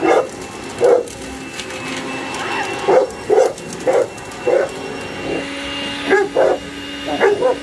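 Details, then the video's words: Boerboel barking at a hoover it is attacking: single and paired short barks, a few with a whiny edge, scattered through the clip above the constant vacuum hum. "Boerboel attacking hoover"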